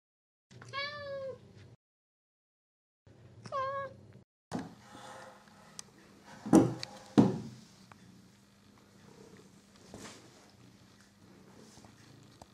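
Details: Figaro, a pet cat playing with his new favourite toy mouse, gives two short, rising-falling meows, well spaced, followed by knocks and thumps of play and a low, steady rumble.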